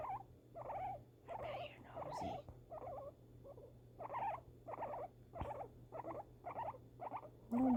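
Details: Indoor guinea pig responding to fireworks, giving a run of short pulsed chirps roughly every half second, evenly spaced, over a faint constant low hum, ending with a brief higher squeak.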